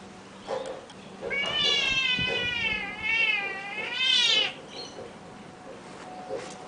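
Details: A Burmese cat outside in the morning sings to the birds with a long, wavering, sing-song meow lasting about three seconds, rising and falling in pitch, followed by a few short soft chirps.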